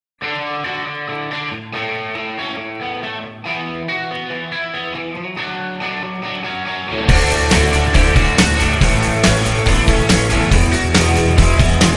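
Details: Rock music with a driving beat that turns louder and denser after about seven seconds, and no animal voice anywhere.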